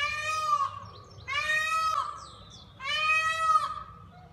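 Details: A pygmy goat at Flamingo Land Zoo bleats three times, each a nasal, wavering cry lasting about half a second.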